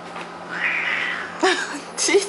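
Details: A Bengal cat, annoyed at an Abyssinian kitten but not really fighting, gives a drawn-out, wavering yowl, then two short harsh cries, with a person speaking.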